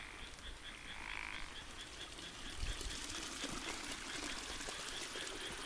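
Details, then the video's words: Frogs call at night in summer beside rice fields, a steady run of quick, high, pulsing notes over a soft watery hiss. "Sound Of Frogs"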